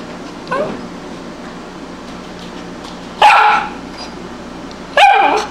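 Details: Tibetan Spaniel barking indoors: a faint yelp near half a second, then two loud sharp barks about two seconds apart at three and five seconds, over quiet room noise.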